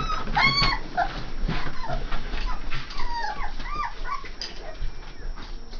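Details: AKC Saint Bernard puppies, three and a half weeks old, giving a run of high, wavering whines and squeaky yelps that rise and fall, several overlapping in quick succession over a low rumbling background.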